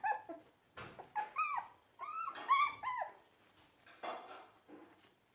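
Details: Dog giving a string of short high whines and yelps, each bending up then down, several per second in bursts separated by brief quiet gaps.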